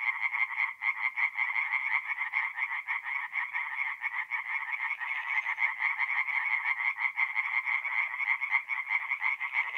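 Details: Chorus of tree frogs singing by night at a forest pond in north-east Italy, mid-April; fast, overlapping nasal croaks stack into a continuous pulsing wall of sound, steady throughout.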